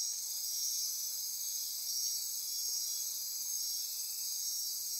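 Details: Midnight insect chorus from rainforest on Costa Rica's Osa Peninsula near Corcovado National Park, a continuous high-pitched wall of buzzing, trilling and pulsing layers, unbroken throughout.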